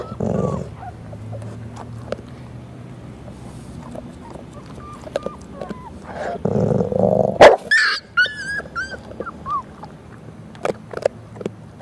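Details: Three-week-old pit bull puppies with their mother, out in the sunlight: short high whimpers and squeaky yips cluster near the middle, some rising and falling, over low rumbling handling noise and rustling.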